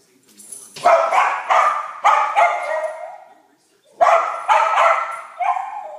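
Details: A Jack Russell Terrier barks at a dog on TV with sharp, harsh barks in quick succession, in two short bouts.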